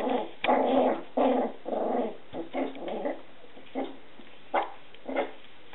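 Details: Young Scottish Terriers making gruff growling yelps in uneven bursts, several loud rasping pulses early, then quieter sparse yips spaced a second or more apart.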